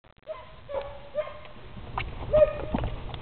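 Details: Puppies at four and a half weeks old, from a litter of a dog named Scarlett, giving short high whimpers and yips around 600 to 700 pitch band, several brief squeaky calls spread through, with soft handling noise in the background.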